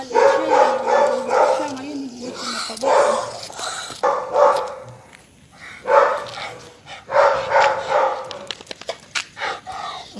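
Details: Pet Rottweiler barking repeatedly during a nighttime walk, in uneven rapid runs of short harmonic barks with brief gaps, human voices audible underneath.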